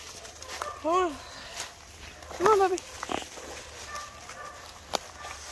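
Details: Meowing cat in the woods, January 18, 2023, sounding as if in trouble while being coaxed back up a hill: two clear arched meows a second and a half apart, with faint rustling between.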